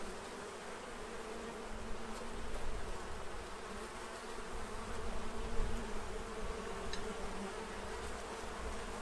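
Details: Many bees crowd a feeding tray in Central Illinois, preparing for winter; a soft, steady buzzing drone over a broad hiss of background noise, rising slightly louder midway.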